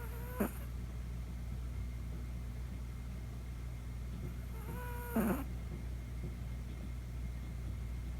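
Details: Chihuahua puppy snoring for the first time while deeply asleep at night indoors; two short squeaky whistling snores, each gliding downward, about five seconds apart, over a steady low electrical hum.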